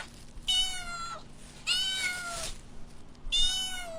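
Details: Kittens stalking and chasing butterflies on the grass give three drawn-out, harmonic-rich meows, each about half a second to a second long, gently falling at the end, with soft background hiss between calls.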